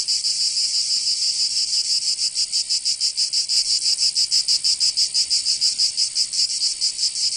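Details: Cicadas in summer in Provence, southern France, producing a shrill, grating buzz broken into quick rhythmic pulses about three per second, pure insect sound.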